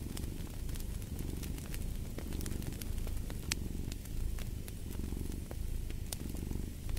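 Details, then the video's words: A cat purring beside a fireplace: a low, rumbling purr swelling and easing with each breath, under sharp, scattered crackles and pops from the burning fire. "Purring of a Cat"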